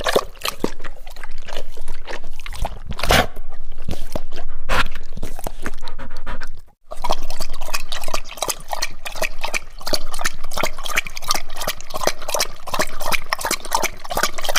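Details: Dog drinking water in quick repeated laps that sound like licking, a dense wet clicking rhythm with a short break midway before resuming steadily.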